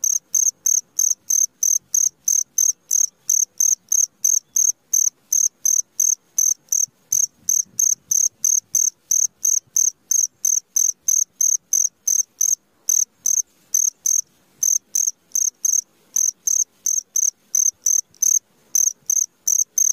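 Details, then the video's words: Long run of cricket chirps in the middle of the night: bright, high-pitched pulses repeated steadily about three times a second, very regular and unbroken, over an otherwise quiet background. "SUARA JANGKRIK TENGAH MALAM"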